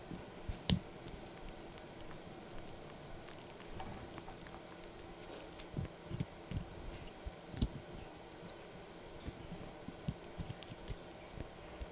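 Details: No animal call is heard, only crunching and soft chewing taps from a puppy gnawing a dried treat in a quiet room.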